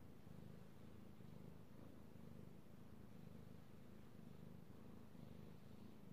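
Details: Male house cat purring contentedly as he is stroked, recorded on 16 March 2018; continuous low-pitched rumble with gentle rhythmic swells about once per second, a faint rustle of petting in the background.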